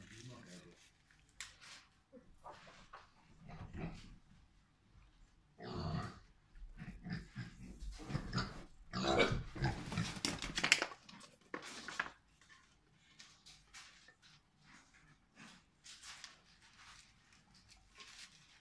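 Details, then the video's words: Two miniature pigs playing with an apple bag, giving low grunts and snorts in irregular bursts, loudest between six and eleven seconds, with rustling of the bag and faint human voices. "Minischweine * spielen"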